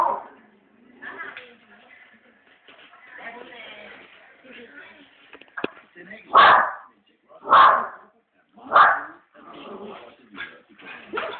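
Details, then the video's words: Family dog barking at other dogs appearing on a television programme: after several seconds of Danish speech and background murmur, four loud, sharp barks come about a second apart, then a quieter fifth. "The family dog, barking at the tv"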